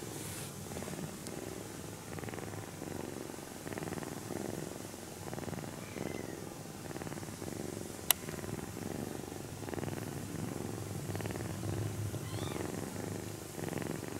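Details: Kitten purring quietly while stroked during an afternoon nap, a soft even rumble pulsing with slow breaths, one sharp click around eight seconds and faint rustling of fur and cloth.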